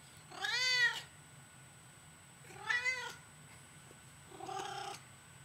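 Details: Female pet cat, a known talker, meowing back: two full, bending meows about two seconds apart, then a shorter, flatter and rougher third call, with quiet room hum underneath.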